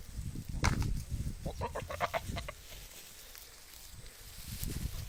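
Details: A goat gives a short run of quavering, stuttering bleats over low rumbling background noise.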